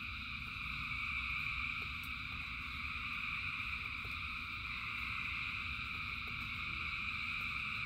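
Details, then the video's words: Many frogs call together in rain, their voices blending into a seamless high-pitched drone that stays even throughout, over low steady background rumble and sparse faint taps. "Frogs in Rain 2 Hours of Frogs, Thousands of Frogs Singing"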